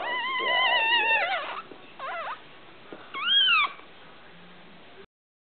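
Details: A newborn litter of French Bulldog puppies, just born: a puppy cries in thin, wavering squeals to draw its mother's attention.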